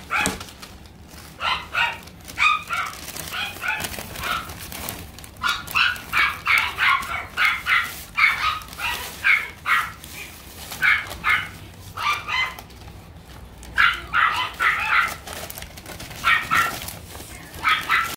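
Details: French Bulldog puppy offered for sale, giving rapid runs of high, sharp yips in clusters of three to six, separated by short pauses, over a faint steady room hum.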